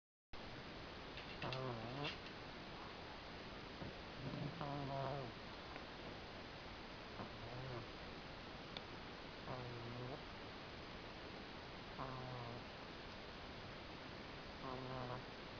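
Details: Chihuahua asleep in the dark very late at night, snoring: short nasal, harmonic snorts every two to three seconds, about seven in all, over a steady background hiss.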